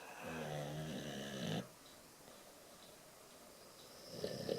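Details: Sleeping Boxer snoring indoors: a deep, rough, rattling snore for about a second and a half, then quiet, with a fainter snore starting near the end.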